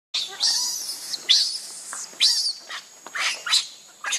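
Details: Baby monkey crying and begging its mother for milk, a run of shrill, high squealing cries with rising and falling sweeps, broken by short pauses and uneven bursts.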